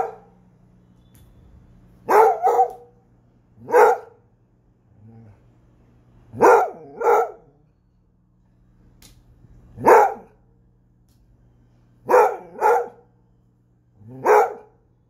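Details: Basset Hound barking repeatedly, mixing single barks with quick doubled pairs, roughly every one to two seconds, deep and booming over a low constant hum.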